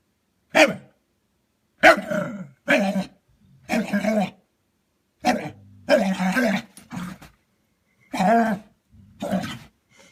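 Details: Dog making funny noises while trying to coax another dog into play: a run of about ten rough, growly barks and grumbles, closely spaced, each a short harsh burst, indoors.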